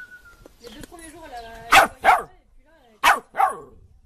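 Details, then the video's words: A dog gives two pairs of short, bright barks, each pair about a quarter second apart, after a person speaks at the start. "Most funny dog barking videos compilation"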